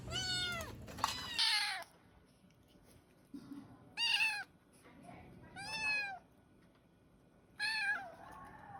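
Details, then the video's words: Pet kittens calling for their mother: five loud, clear, high meows, each about half a second long and falling in pitch, separated by near-silent pauses. "Kittens meow so cute(The kittens wanted their mother)|kittens sounds"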